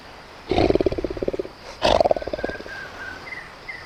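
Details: Tiger giving two loud, throaty pulsed roars, each a rapid series of rough low beats lasting about a second and fading out, spaced about a second apart; faint bird whistles sound near the end.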